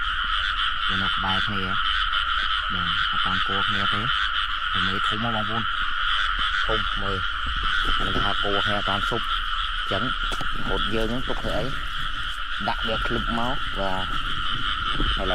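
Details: Chorus of frogs in rice fields in rainy weather, heard while they are caught by hand; dense, repeated throaty croaks in uneven bursts throughout, with a loud steady insect buzz behind and wet field noise.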